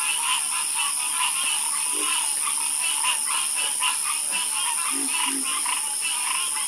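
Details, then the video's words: Harmonious frog croaking at night, a continuous dense chorus of rapid overlapping croaks with occasional deeper single calls, set against a steady shrill hiss. "Sleep Like A Baby With The Calming Sound Of Harmonious Frog Croaking"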